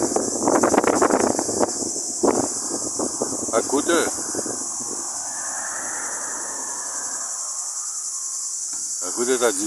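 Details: A steady, high, hissing buzz of cicadas runs unbroken throughout in hot weather near Platamonas, Greece, with a man talking over it.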